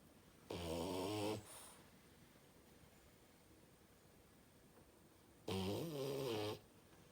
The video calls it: Loudest Snore Ever of a French bulldog